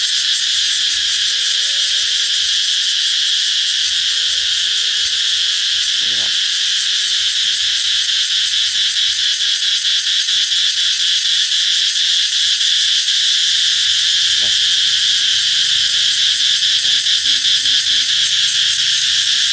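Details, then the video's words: Cicadas sing in a loud, steady, high-pitched shrill buzz that fills the air without a break, a song that signals summer is coming, in Vietnam. "Ve sầu hót vang báo hiệu mùa hè sắp đến"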